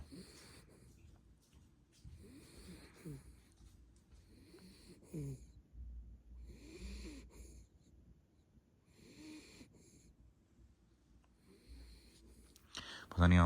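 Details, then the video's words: Coco, a sleeping toy Pomeranian, breathes in soft, wheezy snoring rasps, one about every two to two and a half seconds, with quiet pauses between; a louder sharp noise cuts in at the very end. "Sleeping dog | snoring dog | toypom | Pomeranian"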